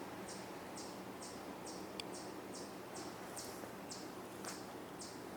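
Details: A chipmunk gives high, sharp chips about twice a second in a steady run over a soft woodland hiss. It was recorded on the Cornell University campus in Ithaca, New York, on an evening of 6/27/2024, and may be calling because of a hawk in the woods.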